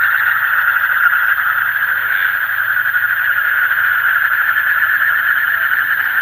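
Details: Deep-night calling of frogs: many voices blend into a steady, shrill pulsing drone without pause, over a faint low hum.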